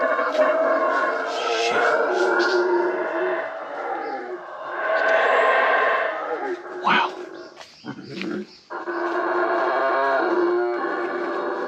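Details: Howler monkeys howling in the jungle near Flores, Guatemala, one right overhead, recorded on a GoPro: a deep, rough, sustained roaring drone in layered bands, swelling and fading, with brief breaks and a man's voice.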